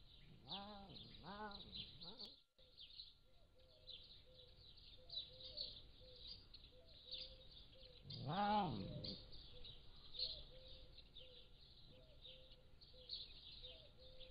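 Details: Captive Pallas's cat kittens, between 3 and 7 weeks of age, utter two arched mews, then after a pause a louder, longer one, while a bird repeats short level tonal notes and other birds chatter, peacocks among them.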